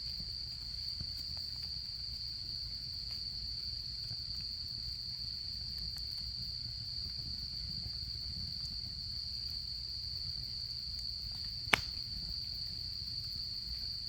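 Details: Insects of autumn calling near a crackling campfire at a camp: one unwavering high-pitched trill fills the whole recording, faint ticks of fire scattered throughout and a single sharp pop late on.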